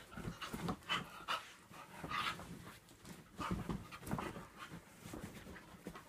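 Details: A Staffordshire Bull Terrier cross and a whippet in a play fight: quick breathy panting bursts and scuffling, broadband and uneven, with louder huffs near one and two seconds and again around three and a half to four seconds.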